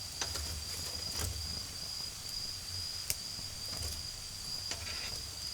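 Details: Autumn insects calling at night in a garden beside a bonfire: a steady, unbroken high-pitched trill runs throughout, with sharp crackles and pops from the fire and a low rumble of distant cars.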